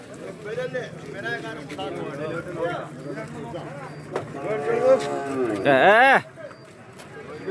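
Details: Bull calves at a market for sale, with a long bellowing moo near the end, sweeping high then dropping, over a background of many voices talking and market chatter.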